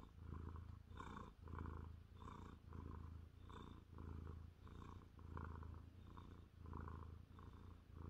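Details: A 30-pound male Maine Coon cat, on a lap on a chilly evening with his ears being rubbed, happily purrs in a deep, steady rumble that swells and fades with each breath.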